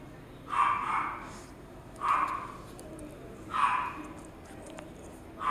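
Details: Toy poodle barking in single short, sharp yaps roughly every one and a half seconds, four barks in all, over faint background hiss.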